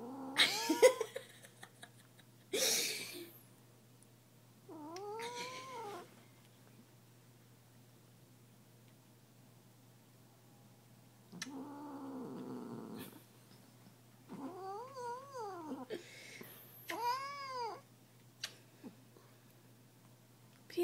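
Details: Pet cat protesting at being kissed with whining growls and caterwauls, several wavering drawn-out calls separated by pauses, some short sharp higher cries near the end, brief soft hissing rustles at the start.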